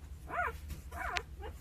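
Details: Newborn Jindo puppy, two days old, one of nine cared for by mother Sarang; two short arched yelps, each rising then dropping, followed by a fainter third squeak.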